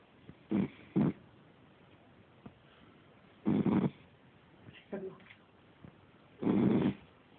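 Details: Young Cavalier King Charles Spaniel, five months old, snoring heavily while asleep on the couch, phone recording: several harsh, rumbling snores in irregular bursts, some doubled, roughly every two to three seconds, with faint room noise between.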